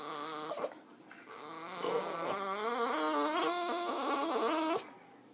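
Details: Female Boston Terrier named Jazmine, a pet, making funny noises on seeing another dog: a long, wavering, high whine that rises and falls in pitch for several seconds, then stops abruptly.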